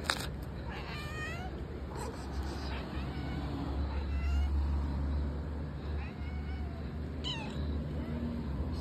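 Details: Cat meowing indoors: several short, rising-then-falling mews at irregular intervals over a steady low hum, with a woman's voice nearby.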